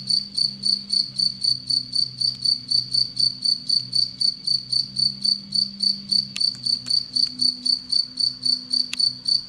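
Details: Anadrymadusa retowskii, a predatory tettigoniine bush-cricket in captivity alongside Egyptian locusts, produces a fast run of ringing high chirps, close to four per second, with a few sharp clicks and a low indoor hum beneath.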